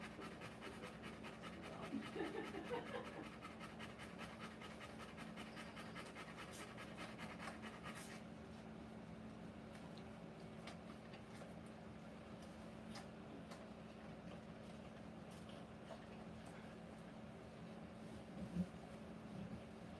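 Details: Rottweiler giving live birth to puppies: rapid steady panting fills the first several seconds, then stops, leaving a quiet room with low hum, scattered soft clicks and a single louder bump near the end.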